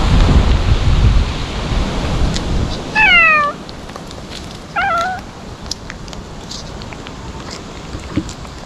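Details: Ear-tipped stray cats crying while being fed Kalkan and Churu treats, wary yet eating eagerly; two loud drawn-out meows falling in pitch around three and five seconds, after heavy low rumbling wind noise at the start.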